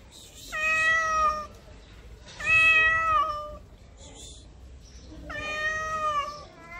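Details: Homeless street cat in Morocco in heat, calling with three long, steady, loud meows spaced about two seconds apart, each clear and slightly falling at the end, with faint background noise between.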